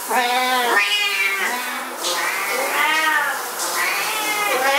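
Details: Two Siamese cats going berserk over an owner's shower: a chorus of stretched, wavering yowls, the two voices overlapping at different pitches, calling almost without pause.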